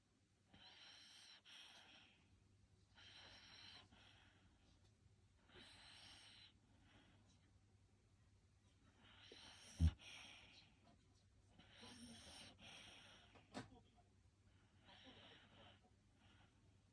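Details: Sleeping Shiba Inu in Japan, recorded 5 October 2025, eyes rolled back showing the whites. Soft, airy snoring breaths come in slow bursts about every two to three seconds over a low steady indoor hum, with one sharp thump near the middle.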